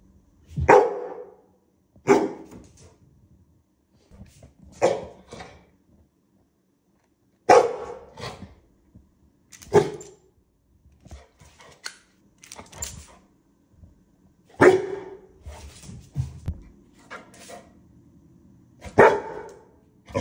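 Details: Pit bull scared of a new toy dinosaur holding a lollipop, unsure whether to play or flee; short sharp barks and huffs come in scattered bursts every few seconds, with quiet pauses and faint rustling between them.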